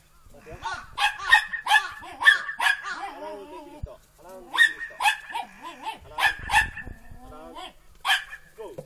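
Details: Three Border Collie puppies aged four and a half months, females Kiwi and Lemon and male Mutta, playing lively in the snow on 12 November 2013; sharp high yapping barks come in quick bursts, with human voices talking between them.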